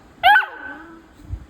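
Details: Pet beagle on a bean bag, being told by a person to get down and not bite; one sharp, high-pitched yelp drops into a long, thin, fading whine lasting about a second, followed by a faint rustle.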